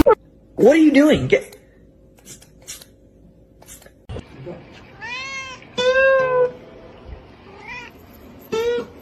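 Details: Kitten meowing: a loud, wavering meow rises and falls early on, followed later by a series of shorter arching meows and one long, steady meow, with faint voices and clicks in between.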